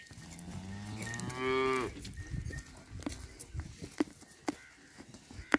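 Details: Jersey-Friesian cross cow at a sale in Jhawariyan, Sargodha, Punjab, Pakistan, 29 January 2020. A single rich, harmonic moo lasting about a second and a half that swells and rises before cutting off, followed by clicks and background farm noise.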